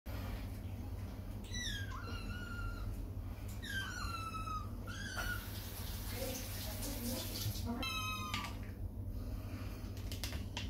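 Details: Domestic kittens, muddy from playing on a wet lawn, upset while being bathed in a tub indoors; several high, falling meows with clear harmonics come in short bursts, over a steady low hum in a small room.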